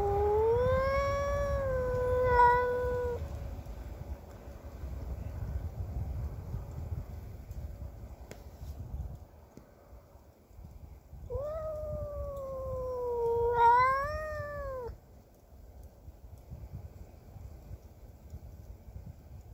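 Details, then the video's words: Cassey, a pet cat, caterwauls while defending her territory against a neighbour's cat: two long, harmonic, wavering howls, the first about three seconds, the second rising and swelling near fourteen seconds, separated by quiet low noise. "Cats fighting sound effects!"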